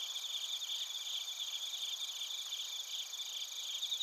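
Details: Chorus of bell crickets and crickets at Narita in Chiba Prefecture, Japan, recorded on a TASCAM Portacapture X8: several high, shimmering trills overlap in a steady, unbroken insect chorus.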